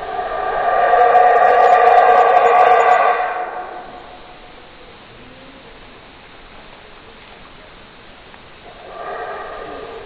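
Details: Howler monkey giving a loud, rough roaring howl with stacked harmonics for about three seconds. It fades into quiet hiss, then a second, weaker roar starts near the end.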